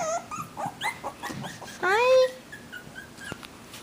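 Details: Havanese puppies from a new litter of four, one female and three males, give short soft whimpers and then one loud, rising, drawn-out yelp near the middle. A person coaxes them with repeated words, and faint music plays.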